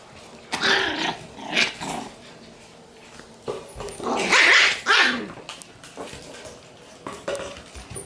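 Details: Shiba Inu puppy, a male born June 30, lets out a series of rough barks and growly yaps in short bursts, the loudest and longest cluster midway, with quiet gaps between outbursts.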